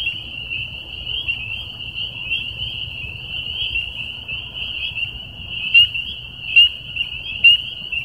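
A dense chorus of spring peepers, with a few sharp rising peeps standing out above the shrill band.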